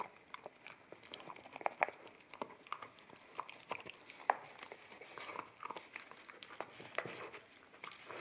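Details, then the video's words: An Akita puppy eats wet kibble off a bamboo plate, captured in stereo with a ZS100 camera; moist smacking and chewing run steadily, punctuated by occasional loud crisp bites at uneven intervals. "Akita Puppy Eating Wet Kibble From Bamboo Plate"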